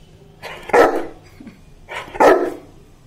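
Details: Indian Saint Bernard dog, a pet kept at home, given basil leaves to eat and told to sit: two short, deep, gruff barks about a second and a half apart, with quiet room noise between them.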